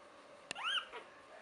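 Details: A single short rising-then-falling whine from one of Buttercup's three-week-old puppies, preceded by a sharp click, in a quiet room.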